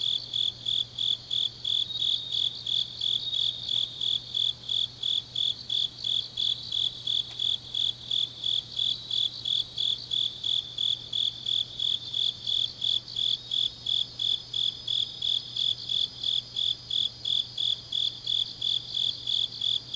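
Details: Deep-night autumn grass insects from Changnyeong, Korea, trilling without pause: rapid, regular high chirps roughly three per second, layered with a softer ringing buzz higher up and a quiet low drone.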